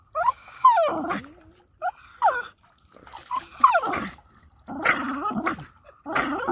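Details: Domestic dog tugging a toy, giving a string of funny whiny growls and yelping moans that slide up and down in pitch, in short bursts separated by brief pauses.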